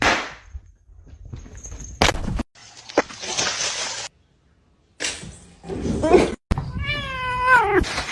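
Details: Domestic cat in a cut-together sequence of short scenes, ending with a long wavering meow that falls in pitch and carries strong layered overtones, after bursts of noise and brief silent gaps.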